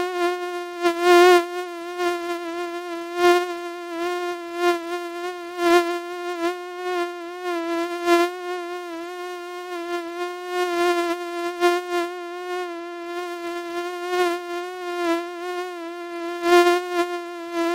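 A mosquito's thin, steady, high whine drones on without pause, wavering slightly in pitch and loudness.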